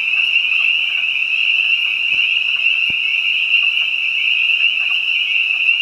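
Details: Spring peepers and other frogs singing in spring behind a house: a dense, continuous high-pitched chorus of overlapping peeps forming a steady shrill drone, with two faint clicks.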